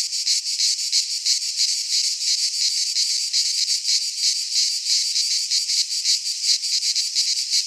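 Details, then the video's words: Many cicadas call together in a Greek pine forest in the heat of midsummer, making a continuous sizzling high-pitched buzz with rapid regular pulsing, nearly three beats per second, and nothing else audible. "Cicadas singing in midsummer - Nature sounds from the Greek fauna - Sounds of cicadas"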